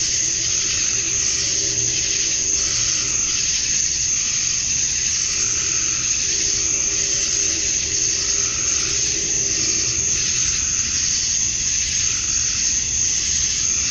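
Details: Cicadas at dusk on a summer night in Georgia, USA, males chirping to attract females; a relentless high, hissing drone with slow pulses of intensity, plus soft low steady tones in the background.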